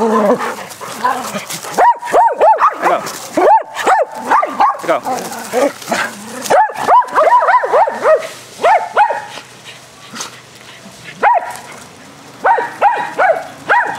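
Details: Several dogs playing aggressive fetch on a spring day, barking repeatedly in dense, uneven bursts of sharp yelps, with short pauses between volleys and human voices in the background.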